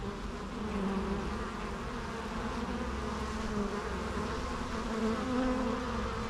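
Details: Dense, continuous hum of numerous bees in the wild, a thick low buzzing drone with slight wavering pitch and no pauses throughout.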